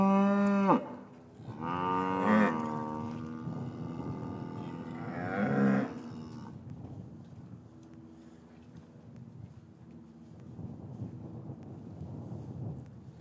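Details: Three strong, rich moos in quick succession open this stretch from an English cattle yard in winter, where calves had been separated from their mothers; quieter murmuring lowing follows. Captured with paired Rode M5 microphones.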